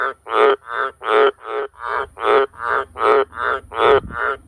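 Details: Very loud croaking from a wild Australian green tree frog near farm sheds at night, a string of rough, throaty pulsed croaks delivered in a quick regular series, roughly two per second, each burst alike in pitch.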